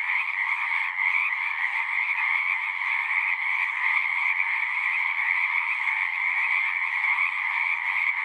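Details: Continuous natural chorus of many singing frogs, a thick trilling texture with a strong higher band over a softer lower one, unchanging in volume across the whole stretch.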